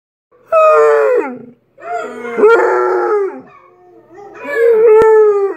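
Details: Basset Hound howling: three drawn-out tonal howls with rich harmonics, each sliding downward at the end, separated by short pauses.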